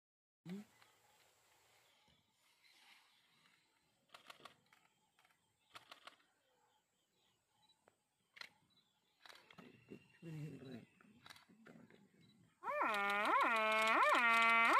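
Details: A barasingha (swamp deer) stag in Kanha gives a loud, harsh, braying rutting mating call of rapid repeated notes after quiet rustling.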